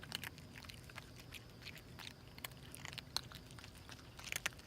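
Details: Three stray cats, a mother with her kittens, gulping down food; bright, crisp crunches and bites scatter irregularly throughout, with a faint low background hum.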